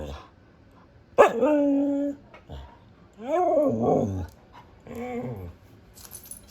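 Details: A female Siberian husky vocalizes in three bursts: a sharp onset into a sustained howl, then rising-and-falling yodeling moans, harmonic and expressive, typical of the breed's talkative 'woo' noises.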